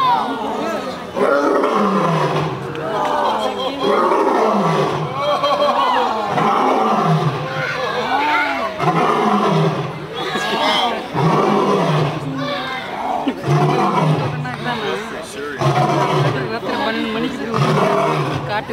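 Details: Captive lion at Brookfield Zoo giving a long series of deep, moaning grunts, each swelling and falling, repeated roughly every second, under steady crowd chatter from visitors.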